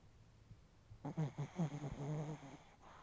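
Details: Sleeping chihuahua snoring heavily while its face twitches: a quiet lead-in, then a second and a half of low, rattling, buzzy snore bursts in quick uneven pulses before fading back to near silence.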